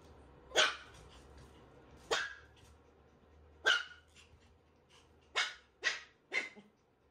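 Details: Standard Shiba Inu puppy meeting an unfamiliar puppy for the first time, giving six sharp, high barks at uneven intervals over about seven seconds, the last three coming closer together, over a faint low hum.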